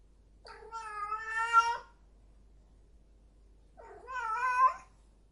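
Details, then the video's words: Two prolonged, rising-and-falling yowls from a cat in heat, each over a second long, strongly harmonic and growing louder toward the end. "cat in heat"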